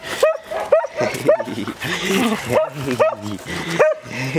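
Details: Playing Samoyed puppies at a breeder's kennel with plenty of room to run; a string of six high, clipped yipping barks, spaced unevenly about half a second to a second apart, with a person calling in the background.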